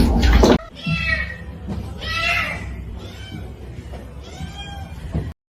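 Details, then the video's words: Cat meowing three times, each a short, rising-then-falling harmonic mew about a second apart, over steady background noise with a loud thump at the start. "cats meowing"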